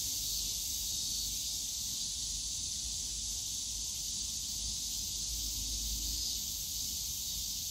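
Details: Cicadas in a bamboo grove at a city family park on a summer day fill the air with a steady, high, hissing drone that never lets up.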